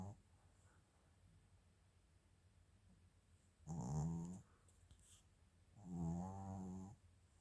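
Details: A sleeping Maltese-Shih Tzu mix dog snoring indoors, recorded 8 February 2025: two soft, low, rasping snores, each about half a second to a second long and about two seconds apart, over a quiet room hum.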